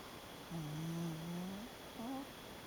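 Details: Sleeping Shiba Inu gives a drawn-out, slightly rising nasal snore lasting about a second, then a short upward-bending snort, over quiet room hiss.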